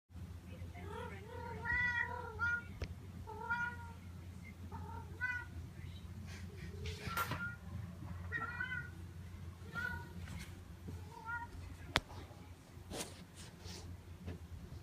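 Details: Domestic cat named Notail vocalizing while being petted: a string of short harmonic meows and chirps, some rising then falling, repeated every second or so, over steady low hum and faint room noise.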